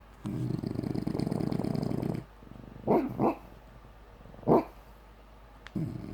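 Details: Female bulldog asleep and dreaming, snoring in a long low rasping stretch, then three short muffled woofs in her sleep, followed by quiet breathing and another brief snore.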